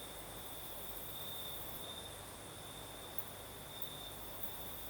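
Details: In the Crimean south at night, crickets keep up a constant thin, high trill, and a few faint ticks sound near the end over a breezy, airy hiss.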